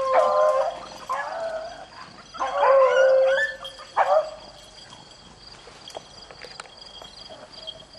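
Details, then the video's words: Beagles rabbit hunting in the rain: a few wavering, ringing bays in two bursts, then fading to rain noise and faint distant yelps. "rabbit hunting with beagles in the rain"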